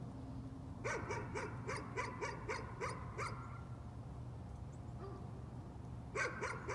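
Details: Nuisance barking from a dog: roughly eight rapid, clipped barks in a fast burst, silence for a few seconds, then a new volley starting at the end, with a constant low droning hum behind.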